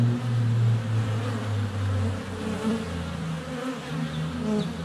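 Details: Honey bees flying around their hive entrance on a sunny February day, filmed up close with a GoPro Hero 7 Black less than a foot away; a steady, low droning hum with wavering tones as individual bees pass near.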